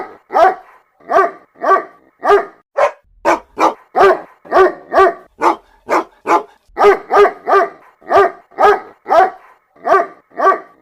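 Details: Mother dog summoning her puppies with quick, evenly spaced harmonic barks, some doubled in fast pairs, others thin and yelping, continuing at about two a second in a quiet background.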